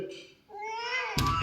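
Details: Pet cat indoors voicing a rising, whining meow that climbs in pitch over about half a second, cut off by a sudden burst of rustling noise at the end.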